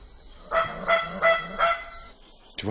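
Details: In dense Madagascar forest, an indri gives a loud alarm call, mouth open showing red inside, in four harsh, honking bursts in quick succession.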